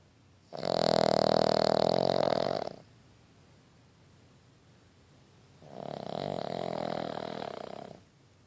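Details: A sleeping male Boston Terrier puppy snores in two long, raspy, droning breaths a few seconds apart.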